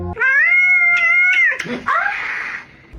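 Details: Pet cat from a funny cat compilation giving a long, steady, tonal meow of just over a second, then a shorter meow that dips and rises again, with music in the background.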